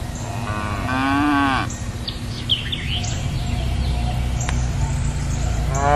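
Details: A cow gives one drawn-out moo lasting about a second, then a new moo begins at the end; bird chirps and whistles sound in between over low background noise.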